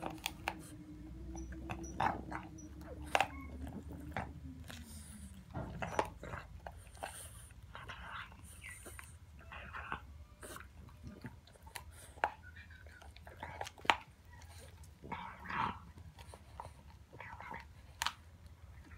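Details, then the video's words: French Bulldog puppy indoors eating a pig trotter treat: irregular wet crunching and sharp biting clicks spread across the clip, with a low smooth droning tone during the first five seconds. "French Bulldog Puppy Enjoys Pig Trotter Treat"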